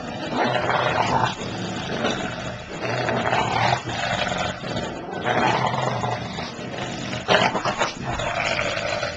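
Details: Play growling from a 76 pound English Bulldog and a 6 pound Papillon during a game of tug of war: harsh, rumbling growl bursts of one to two seconds, repeated with brief gaps, noisy and dense.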